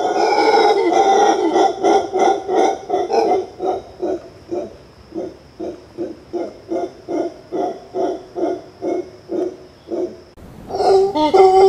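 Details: Howler monkey uttering a steady series of hoarse, grunting roars, about two or three per second for ten seconds, each fading slightly, over a thin, high continuous whine, then a louder rough roar at the end.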